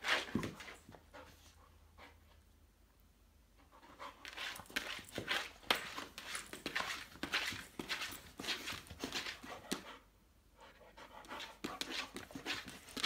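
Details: Awake Saint Bernard making swimming motions on dry land indoors: rapid, rough panting breaths roughly twice a second, with two short quieter pauses between runs of heavy breathing.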